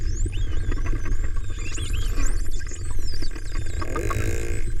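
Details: Melon-headed whales off Buruanga, Aklan, Philippines, trade high, sweeping whistles and rapid clicks over a deep underwater rumble.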